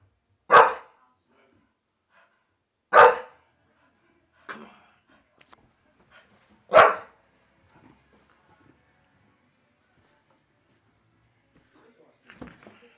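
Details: Staffordshire bull terrier playing on the stairs gives three loud, sharp barks a few seconds apart and one softer bark, with small knocks and shuffles in the quiet gaps.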